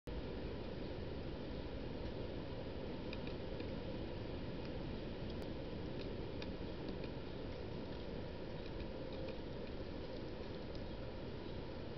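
Steady low rumbling noise like a fan or distant traffic, with only faint scattered ticks and no clear animal call.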